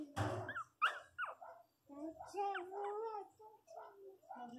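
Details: A litter of six hungry Miniature Pinscher puppies whimper in high, wavering whines and short squeaks while nursing.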